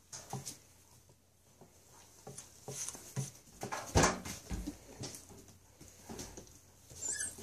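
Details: Three-month-old Siberian Husky puppies playing in a pile with a 2.5-year-old dog, indoors; short whimpers and yips amid scuffling and thumps, with a louder burst of noise near the middle.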